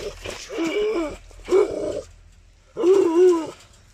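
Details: Gultair dog, a Pakistani breed described as aggressive, giving three drawn-out, harsh growling barks with roaring tone, each lasting about half a second to a second, separated by short pauses.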